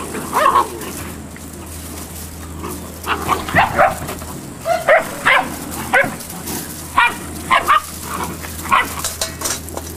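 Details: Eight-week-old Malinois puppies from one litter give a run of shrill, squeaky yaps, quiet at first and then clustered in quick bursts, with a low background hum throughout.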